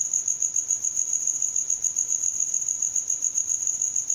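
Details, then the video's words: Cricket chirping at night, its rhythmic, insistent trill made by rubbing the wings; a steady high-pitched pulsing buzz repeats rapidly without pause, with no other sounds. "SOM DE GRILO"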